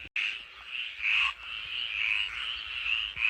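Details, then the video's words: Frogs singing outside in the evening as rain begins: a dense, continuous chorus of high buzzy trills with overlapping callers and swelling, pulsing loudness. "je sais pas si vous entendez les grenouilles qui chantent"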